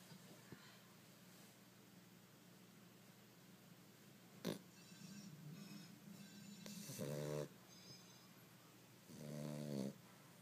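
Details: Dog snoring: soft low breathing, then two loud rasping snores about two seconds apart, each roughly half a second to a second long, with a sharp click early on.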